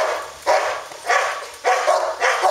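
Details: Dog at a kennel giving four loud, sharp barks about half a second apart, with a man speaking Romanian between them.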